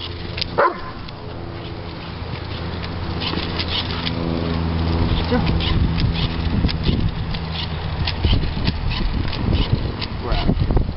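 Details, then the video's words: Three-year-old male Doberman Pinscher throwing an excited fit over bubbles: low, harmonic whining and growly vocalizing building steadily, with occasional sharper yips, broken by short bursts of human speech. "Doberman Viciously Attacks: ...Bubbles?"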